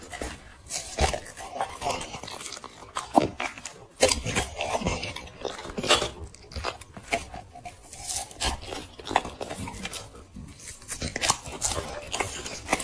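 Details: Close-range chewing by a black dog eating chicken and vegetable food indoors: scattered crisp crunches and wet smacking bites, uneven in rhythm, occasional louder snaps.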